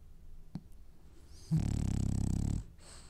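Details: French Bulldog dreaming while asleep gives one low, rattling snore lasting about a second, with a rapid buzzing vibration throughout, after a quiet stretch broken only by a faint click.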